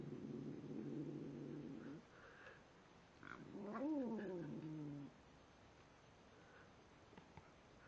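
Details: Pet cat named Tim talking while eating: a low steady droning growl for two seconds, then a quieter arched wail that rises and falls before fading, with faint background hiss.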